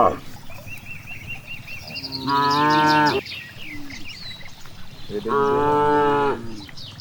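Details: Grazing cow in a broad rice field gives two drawn-out, harmonic moos about three seconds apart, while small birds keep up a repeated chirping in the background.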